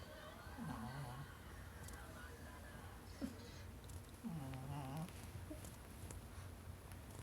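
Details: Shih Tzu snoring, filmed 13 March 2019: two low, drawn-out rasping snore breaths with wavering pitch, near one second and again around four and a half seconds, over a quiet steady room hum.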